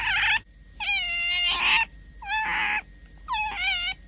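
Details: Hungry pet otter begging for food after three days without its favourite mullet fish, angry at its keeper; loud high squealing whines with bright harmonics, four bursts in about four seconds, each gliding slightly upward, with quiet gaps between.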